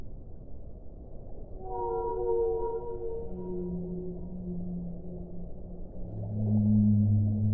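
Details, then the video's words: Whale sounds in a one-hour relaxation recording: long, steady tonal moans with stacked harmonics. Mid-pitched notes come first, then lower, deeper tones from about three seconds on, ending in a loud low drone over a constant rushing background. "1 ora di suono delle balene"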